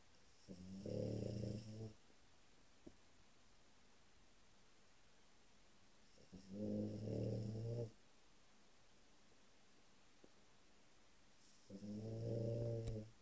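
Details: French Bulldog asleep in a small room, snoring in three long, rough, humming rasps of about one and a half seconds each, spaced roughly five seconds apart, with faint clicks between.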